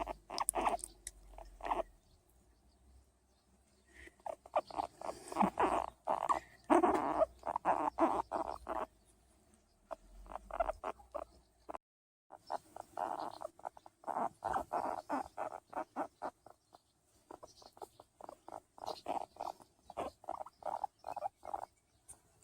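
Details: A hairless skinny pig guinea pig being patted gives quick runs of short, squeaky chirps, about three each second, with brief pauses.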